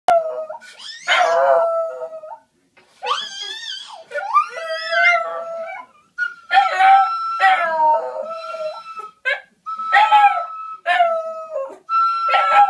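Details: Border Terrier pet dog howling along as the owners' daughter gets it singing: wavering, harmonic howls that bend up and down, broken into bursts of one to two seconds, with a steady held tone running alongside several phrases.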